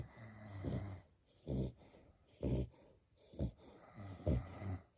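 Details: Sleeping female French Bulldog puppy snoring steadily, rough low snorts roughly every second with airy wheezing between them, no music playing.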